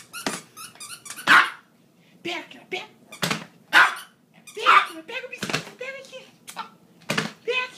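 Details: Maltese and Yorkshire terrier, excited and playing indoors as their owner returns from a long overnight shift: sharp, broadband barks in irregular bursts with short squeaky yelps, in a small room with a person talking.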